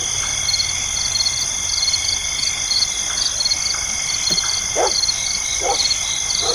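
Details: Night insects chirp steadily in a dense, high chorus with pulsed trills, in a night ambience that also includes dogs barking.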